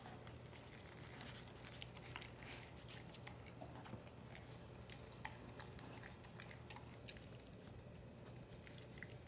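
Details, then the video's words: American Bully named Snow being fed raw meat on her birthday: soft, steady wet chewing with scattered sharp clicks and crackles throughout, recorded close in a small room with a low background hum. "ASMR raw meat feeding American bully"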